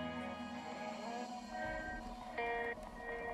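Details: Upbeat instrumental music with plucked and sustained tones plays throughout, with no animal voice present.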